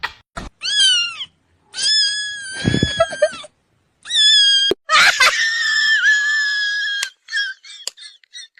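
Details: Domestic cat giving loud, drawn-out, high-pitched meows rich in harmonics, some steady and some wavering or dipping, in several bursts separated by abrupt breaks and short silences.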